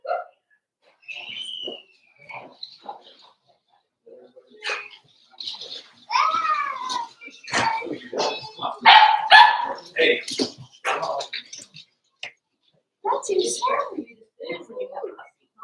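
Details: Five-week-old Cavalier King Charles Spaniel puppies from Daisy's litter in their indoor puppy pen give high, rising yelps and short barks in a busy cluster, with people talking throughout.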